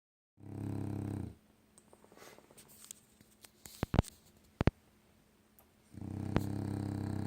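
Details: Pet dog snoring while asleep, snoring all night long: two deep, rumbling snore breaths about five seconds apart, each low and rasping, with faint clicks and household rustling in between.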